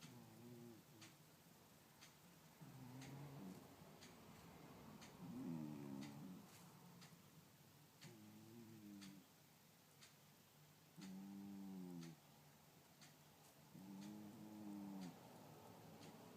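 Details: A domestic cat snoring indoors: soft, low, harmonic rasping breaths of about a second each, repeating every two to three seconds, with faint clicks and a quiet background hiss.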